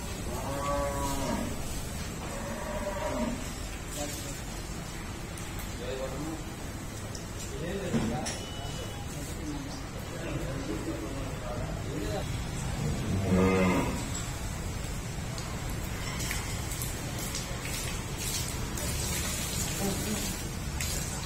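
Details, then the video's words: A water buffalo in heat on a dairy farm, during artificial insemination, gives several low, drawn-out moos spread across the recording, over steady background noise and occasional speech. "Buffalo Heat"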